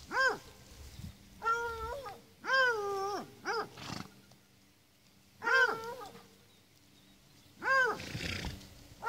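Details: Miniature donkey braying in short, high, arched harmonic calls, each under a second, given in separate bursts with quiet pauses between them.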